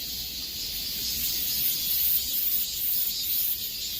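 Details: Hot-summer cicadas fill the air with an unbroken, very high, sizzling buzz. It grows slightly louder in the middle before easing back.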